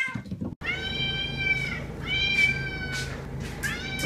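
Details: Long insistent meows from a domestic cat, used to attract pet cats: after a brief pause, three sustained, bright, slightly wavering cries follow closely over a steady low hum.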